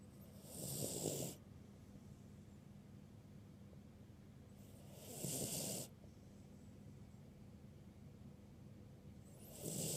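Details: Birdie, a ruby Cavalier King Charles Spaniel, snoring while asleep at a medium volume; three long, breathy snores about four seconds apart, each a rasping burst with a hissing top, over quiet room background.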